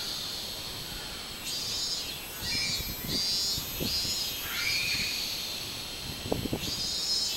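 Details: Robust cicada (minmin-zemi), recorded 24 July 2016, giving uneven buzzy high pulses that start after a second and continue to the end, over a steady insect hiss, with a brief higher tonal note midway and low knocks.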